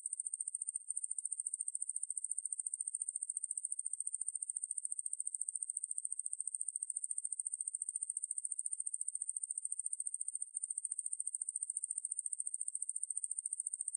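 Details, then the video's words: Ruspolia lineosa, a conehead katydid, from a 2020 National Institute of Biological Resources recording, gives an unbroken, shrill, high-pitched buzz of fast, regular pulses. Two brief hitches interrupt the drone, and the background is clean and quiet. "왕매부리, 여러번 듣기, 곤충소리"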